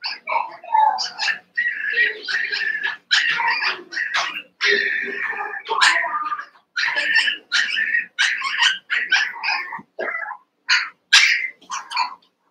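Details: A pen of eight young Cavalier King Charles Spaniel puppies wrestling in play: a continuous chorus of shrill yips, squeals and whimpering barks, rapid and overlapping with almost no pause, with faint human voices mixed in.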